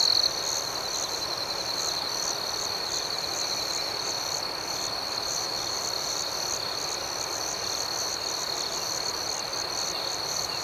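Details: Crickets chirping at night in a calm outdoor setting: a steady high-pitched trill holds throughout, with softer pulsed chirps repeating higher above it against a faint noisy background.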